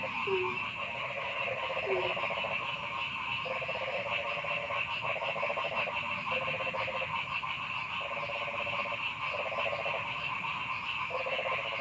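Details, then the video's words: Noisy frogs calling in a forest: rapid pulsed, rattling croaks in bursts of just under a second, repeated every second or so over a steady, dense chorus of overlapping callers with a higher continuous trill. "Noisy Frog Sound in the Forest"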